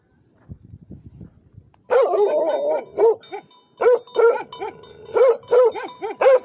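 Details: Livestock guardian dog kept for protection on a shepherd's flock, giving a burst of loud, deep barks after a quiet start, roughly two barks per second, some doubled, with faint low rustling before the barking begins.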